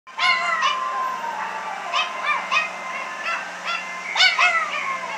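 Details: Two dogs singing along to an ice cream truck song outside a 1914 Craftsman Victorian house, September 8, 2018: overlapping short wavering howls with rising and falling bends, repeated every half second or so, over a low steady hum.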